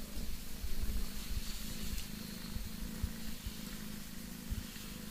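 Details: Domestic cat purring: a steady, low, rumbling pulse that continues evenly throughout, with faint soft hiss in the background.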